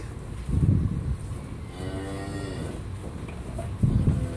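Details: Friesian dairy cow, calm-natured, recently calved for the second time and kept with her heifer calf on a dairy farm, gives one drawn-out moo lasting about a second, steady then slightly falling, between low thumps and farm background noise.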